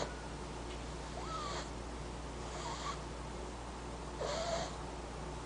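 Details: Sleeping French Bulldog pup named Sage snoring indoors: three breathy, airy snores with soft whistling tones, spaced about one and a half seconds apart over a steady low hum.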